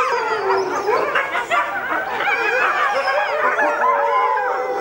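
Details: Red wolf parents and their four ten-month-old puppies howling together at the Tallahassee Museum, set off by a distant ambulance; a thick tangle of quavering, sliding howls and yips sounds without pause.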